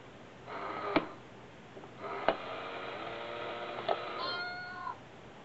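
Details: Two sibling cats, brother and sister, indoors in Osaka, Japan, playing hard with a cat coin bank, pushing and prying its lid; three drawn-out meows with rich harmonics, each opening with a sharp click, a final meow rising at its end.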